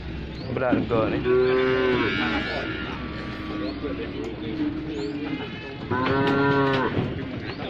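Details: Injured cow with a leg broken after being hit by a car, hard for it to rise once lying down, gives two long, drawn-out harmonic moos, the second after a quieter low groan, over steady background hum.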